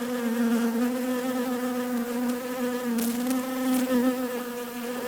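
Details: Bee buzzing as a dense, even hum with slowly wavering pitch, a few short crackles around the third and fourth seconds.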